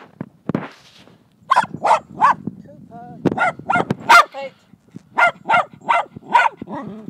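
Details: Jack Russell Terrier named Mini, filmed 26 July 2009, giving short sharp barks in quick bursts of two to four, with a few lower whining sounds and a human voice between them.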